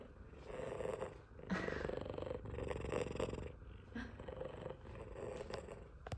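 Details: Big F2 Savannah cat, a pet waiting indoors to be fed chicken, purring loudly: a steady low rumbling purr running through the whole stretch, swelling into louder bursts now and then, with light household noise.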